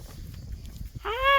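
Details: Country puppy named Gamja outdoors in rural Korea: one short, clear whine, rising in pitch then holding steady for under half a second, after quiet rustling and footstep-like background noise.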